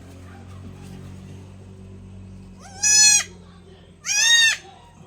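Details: Young goat kid, newborn, one of two males being injected with vitamins; two loud, harsh, quavering bleats about a second apart after a quiet stretch with faint background hum.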